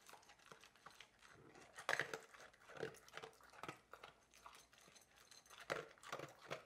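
A Labrador Retriever eats noisily, with crunching, crinkling chews and bursts of lapping in a small room.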